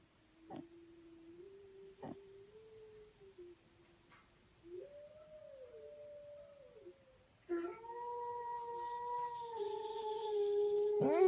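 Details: Dog howl building gradually: quiet wavering tones with a few sharp clicks at first, then a louder sustained note with clear overtones that grows stronger toward the end.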